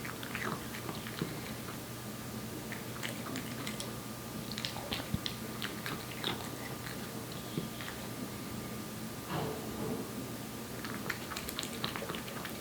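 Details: A one-year-old Korean Shorthair cat named Aeppi chews wet food. Wet, crunchy bites and smacking come in uneven bursts, with clusters near the start, middle and end, over a faint constant hum.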